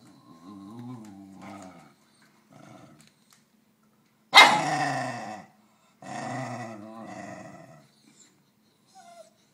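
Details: A Basenji named Keeyo gives wavering, yodel-like calls with one loud rising burst, wanting another dog's snack.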